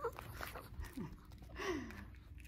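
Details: Lacey, a female Shih Tzu, 'talking' because she wants her treats: a short falling whine, then a longer, higher whine that rises slightly and slides downward, with soft low murmurs in between.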